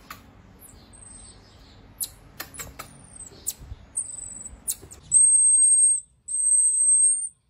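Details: Pygmy marmoset, the tiny finger monkey, giving thin, very high whistles: a few short tones early on, then two long, level, piercing whistles near the end, with faint taps and clicks in between.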